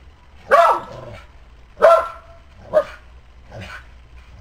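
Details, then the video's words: An old Border Collie cross barks while a squirrel teases it: four loud, harsh barks about a second apart, the last two shorter and softer, with a quiet background. "Squirrel teasing Dog"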